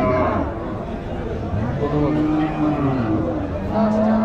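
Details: Cattle being unloaded at a village cow show; low drawn-out moos with steady harmonic bands run through much of the recording over a busy background of crowd chatter and noise.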